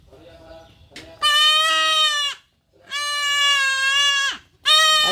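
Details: Kid goat crying out during castration with drawn-out, nasal, strained bleats. Murmured human speech comes first, then two long steady bleats, each over a second long, and the start of a third.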